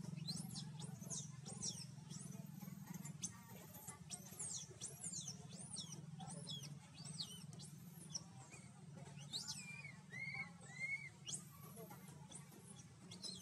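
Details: Scared baby monkey seeking its mother's help in the jungle of Siem Reap Province, Cambodia: rapid, high, thin squeals and arched whistly cries repeating almost nonstop over a steady low hum.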